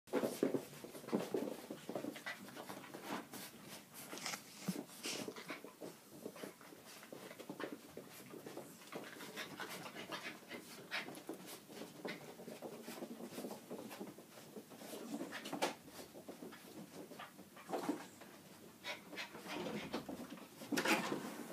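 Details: Two Norwich Terrier puppies, Bumble and Fimble, heard indoors with soft, rapid panting and snuffling breaths running steadily throughout, scattered small clicks and rustles mixed in, all fairly quiet.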